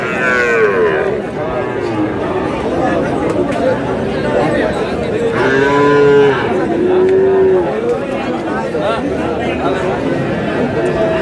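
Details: Sahiwal bull calves at a busy cattle sale on 24 February, tied to a Cox's Bazar farmer's purchase: a drawn-out lowing moo opens, then two more deep, wavering moos about midway, over constant crowd chatter and bargaining voices.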